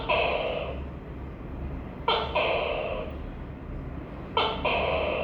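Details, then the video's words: Tokay gecko calling: a sharp clipped note followed by a longer, nasal, harmonic syllable, the two-part call repeating about every two seconds over a steady low hum. "Tắc ke và tiếng kêu gecko tukay"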